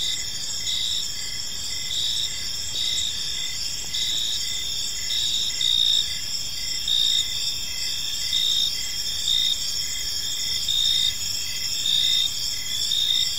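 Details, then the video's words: Several crickets sing in a park as evening falls, a dense high-pitched drone with rhythmic brief chirps recurring steadily, volume swelling slightly at intervals. "Cricket Sounds in a Peaceful Park"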